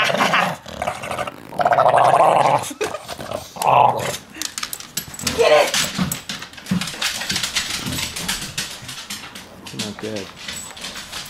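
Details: Chainsaw, a bulldog at home in Studio City, gives tonal, whine-like vocal bursts near two and four seconds, with rougher low rumbling throughout, mixed with human speech and handling noise.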